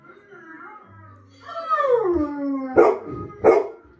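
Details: A confused Golden Retriever, reacting to a German Shepherd it recognized on TV, gives a drawn-out falling whine, then two sharp barks.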